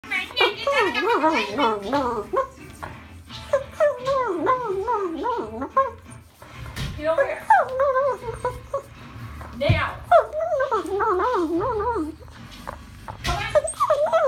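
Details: A Boston Terrier grumbles in wavering, whiny bursts, protesting at being sent outside to pee.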